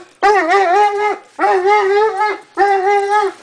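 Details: Dobermann dog in a yard whimpering to greet two visiting friends; three drawn-out, wavering whines, each about a second long with short pauses between, fairly loud and close.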